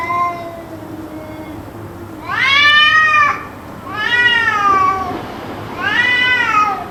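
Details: Cat yowling endlessly for roughly two hours: faint calls at first, then three loud, long wails, each bending up and sagging down, separated by short pauses over a low background drone.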